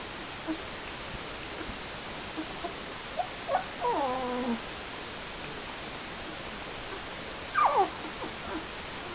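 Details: Airedale Terrier puppies, 19 days old, giving thin wavering whimpers: one falling squeal mid-way and another short descending cry later, over steady background hiss with faint scattered squeaks.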